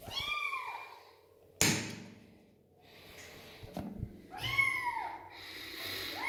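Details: Rescued female kitten found alone on a street without her mother, meowing during her first bath: two high, arched, harmonic-rich meows about three seconds apart, with a sharp thud and soft clatter between them.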